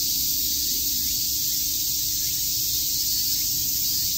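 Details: Summer cicada chorus at Shakujii Park, Tokyo, a steady shrill buzz that never pauses, with a faint low hum beneath.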